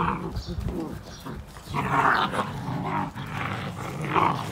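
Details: Fifty-day-old Belgian Malinois puppies struggling as a group over one toy, play growling in low rough bursts with some higher yelps, alongside scuffling and faint human speech.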